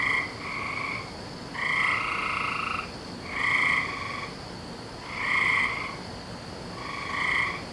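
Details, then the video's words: Frogs calling on a May night, 17 May 2012: drawn-out, harmonic-rich trilled notes about a second long, repeated roughly every two seconds, with several callers overlapping against a steady background hum. "Season Of The Frogs"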